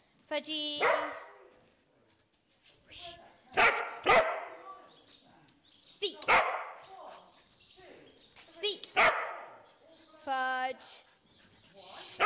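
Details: Pet dog barking on command, giving two short harmonic barks near the start and end between a person's repeated spoken commands to speak; human speech dominates the rest.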